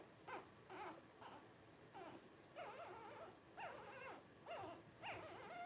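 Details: Blenheim Cavalier King Charles Spaniel puppy, one of five 12 days old, born to Paris and Spike at New Year 2023: repeated brief quavering squeaks and whimpers, roughly two per second, uneven, thin and high, in a quiet room.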